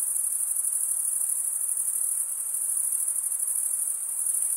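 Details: Crickets chirping on a summer night in the forest: a constant thin high-pitched trill with quick, slightly irregular pulsing, about three beats a second, and no other sounds.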